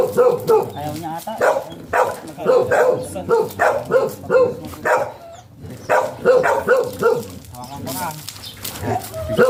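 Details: Golden retriever at a mating (stud) session, Sta. Barbara, Pangasinan: repeated punchy barks in uneven clusters across the whole stretch, a brief lull midway, with people chatting in the background.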